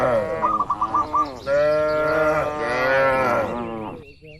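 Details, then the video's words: Tame cattle among dozens kept in a farm pen, calm and healthy; overlapping harmonic moos with rising and falling pitch, a long steady moo in the middle fading at the end, with short repeated chirpy notes near the start. "Moo Moo Suara Sapi Lucu"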